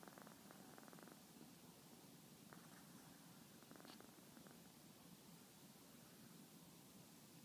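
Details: Sleeping cat on a lap, giving a soft, even, low purr that holds without breaks, with a few faint clicks or rustles early on over a quiet room background.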